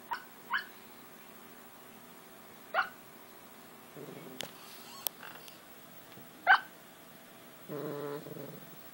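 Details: English Springer Spaniel dreaming during a nap, giving short muffled barks and yips in its sleep, about four soft bursts spread over nine seconds, with a woman speaking quietly between them.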